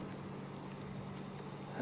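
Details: Crickets give a soft, continuous high trill at night during an African bush sunset drive near Kruger Park, with a low, steady rumble, probably an idling vehicle, underneath.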